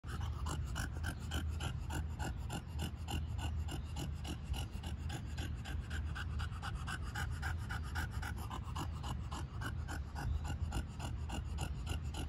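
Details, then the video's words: Hot bulldog panting with its tongue out beside an ice cube dog toy: rapid, steady, rhythmic breathy pants, about three per second, continuing unbroken throughout over a low constant hum. "HOT DOG tongue"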